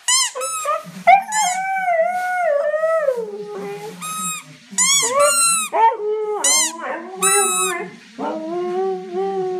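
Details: A Siberian Husky's melodic howl, with long mournful notes that slide down in pitch, punctuated by quick high squeaky yelps and a few short gaps between phrases.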